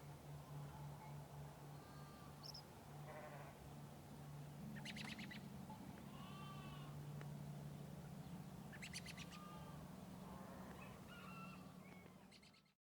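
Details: Sheep on a farm in the morning, giving low, drawn-out bleats that waver over several seconds, while small birds chirp and twitter in quick bursts throughout and a steady low hum runs underneath.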